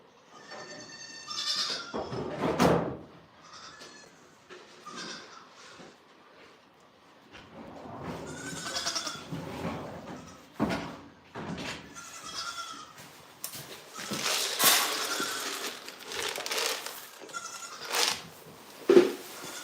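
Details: Goats on a farm bleating repeatedly amid clattering, knocks and shuffling, the harmonic calls overlapping with frequent handling noise.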